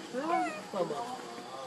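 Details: Very hungry baby monkey begging for milk while Lucie takes Libby's milk: two loud, plaintive arched wails, each rising then dropping, with a clear tonal, whimpering quality and soft background noise.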